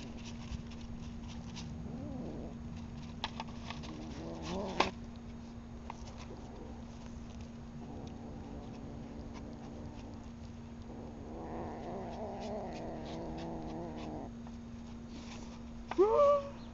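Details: Precious, a well-fed male domestic cat, growling while eating beside other cats and stealing slower eaters' food. Low, drawn-out growls come in two bursts of about three seconds each, with a steady hum and a person talking.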